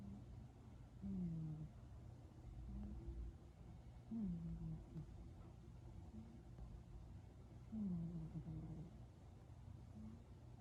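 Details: Purring cat roused from a nap, its snore turning into a purr. Deep throaty pulses, each sliding downward, come roughly every three to four seconds above a constant low background drone.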